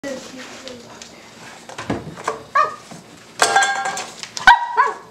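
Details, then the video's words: A Cavalier King Charles Spaniel puppy barks at a tuna can, giving short, high, yappy barks while a person talks nearby. "Cavalier King Charles Spaniel Puppy Barking at a Tuna Can"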